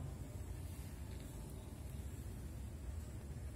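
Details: Constant low engine-like rumble and hiss, as from a passing vehicle, with no animal sound heard.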